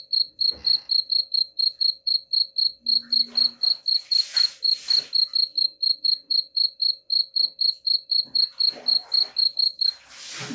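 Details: A cricket's rapid high chirps, about four per second and used here to drive off rats, continue throughout, interrupted by loud rustling noise bursts in the middle and at the end and a short low tone early on.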